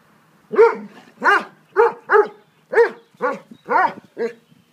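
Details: Three Dobermanns, Dolce, Gabbana and Zeus, playing in a garden: a quick run of eight loud, harmonic barks, about two per second, each short and clipped, with quiet gaps between and no other sounds.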